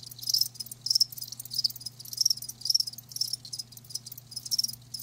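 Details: Live crickets chirping in short high trilled bursts roughly every half second, each pulse bright and shimmering, with a steady low hum running underneath throughout.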